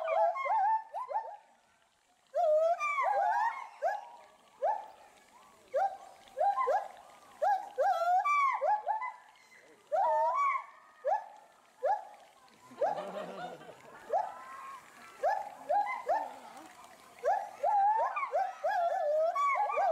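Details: Resident agile gibbon pair at Bristol Zoo Gardens, UK, loud and agitated over something in the bulrushes below. Long run of repeated upward-sweeping hoots from both animals, with a brief burst of background noise midway.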